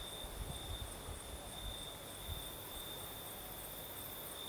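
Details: Crickets keep up their continuous high trill on a breezy night in the Crimean south, while stronger low wind thumps and rumbles through the first half.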